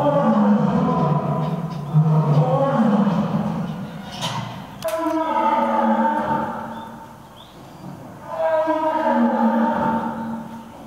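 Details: Lions Earth and Silk in a roaring contest at Nonhoi Park, Toyohashi Zoo, Japan; a series of deep, harmonic roaring bouts, each about two seconds long, separated by short gaps, with a quieter lull before the final bout.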